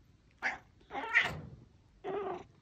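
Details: Domestic cat, 18 years old, that did not meow until age five and now has a strong, young-sounding meow. It meows several times in a row when happy to see its owner again. Three short meows in quick succession, the middle one longest, indoors.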